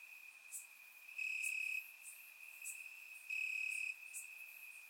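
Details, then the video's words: Night chorus of crickets in Bulgarian grassland on a warm summer evening: an unbroken high-pitched trill with two strong swells lasting over half a second each, plus scattered faint clicks from other crickets. "Cricket Sounds - Crickets Chirping at Night"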